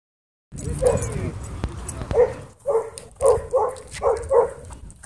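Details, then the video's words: Husky at a dog park, screaming after an encounter with a pitbull: short, sharp, mid-pitched yelping cries in quick bursts, about eight over four seconds, some paired close together, over faint background clatter. "Husky Left Screaming After Encounter With Pitbull At Dog Park"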